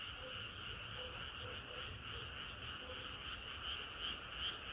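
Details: Frogs singing through a sultry summer night: a continuous chorus hum with quick repeated croaks and a few louder, sharper calls standing out toward the end.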